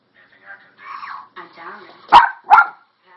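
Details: Toy Poodle giving two sharp, loud barks about half a second apart near the end, after a stretch of a person talking softly.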